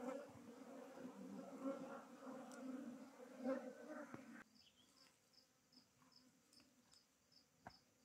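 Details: Beekeeping hive transfer, with honey bees shifted from a log hive to a modern box hive: a dense, low humming drone for the first four seconds, then a quieter stretch with a thin, regularly pulsing high tone and scattered clicks.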